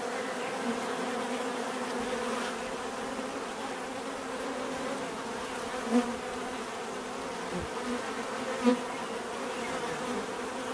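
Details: Continuous bee buzzing in nature, a constant droning hum with two louder close passes near six and nine seconds as single bees fly by the microphone.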